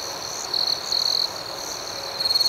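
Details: Short stretch of night crickets: an unbroken high trill with a few louder, pulsing chirp bursts, the last rising in quick repeated beats.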